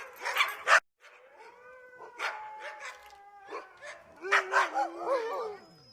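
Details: Dog barking to express its feelings: two loud sharp barks, a pause, then a long, steady whine and scattered barks ending in wavering, yodelling yips.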